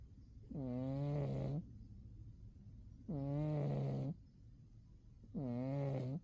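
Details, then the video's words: Umi, a pet cat dozing in winter, snores three times, each a drawn-out, deep, buzzing breath lasting about a second, with silence between. "Umi the cat winter zonks and snores"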